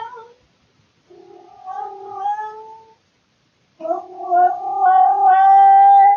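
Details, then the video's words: Male house cat indoors in the middle of the night, caught on a surveillance camera, calling out of boredom: two long, drawn-out harmonic yowls, the second louder and rising slightly, separated by a pause of about a second. "Cat makes weird sounds in the middle of the night"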